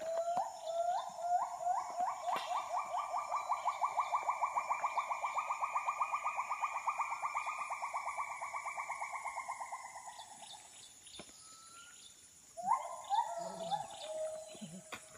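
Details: Several Bornean gibbons call at dawn in the rainforest of Danum Valley, Sabah, Borneo, giving a long, rapid bubbling trill of hooting notes that swells and then fades.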